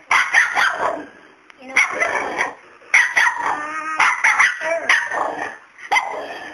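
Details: A male dog barks at a cat named Miracle that does not back down; short sharp barks come in quick clusters separated by brief pauses, with people's voices and cheering mixed in.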